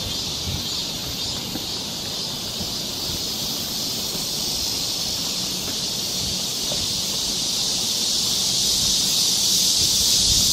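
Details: A high, even cicada drone fills a summer forest trail in Seoul, Korea, swelling louder in the final seconds, with light rustling underneath.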